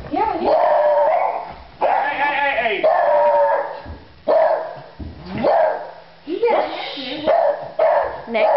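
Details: Pet beagle with a man, hard at work: a run of loud, drawn-out howling bays, each rising then sliding down, about seven in a row with short gaps, while people talk and laugh nearby.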